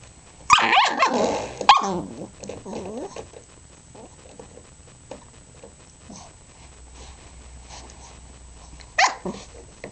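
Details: Three-month-old Pembroke Welsh Corgi puppy, teething, playing indoors with a spring doorstop: a burst of high yappy barks and squeals in the first two seconds, quieter rustling and springy noises, then one more short bark near the end.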